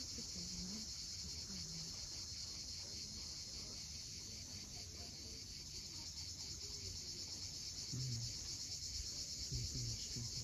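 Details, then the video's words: Cicadas calling at sunset on the steep coast of Cape Fiolent, Crimea: a continuous high, hissing buzz holds steady throughout, over a low rumble of waves, with a few short low tones near the start and end. "Cicadas at sunset."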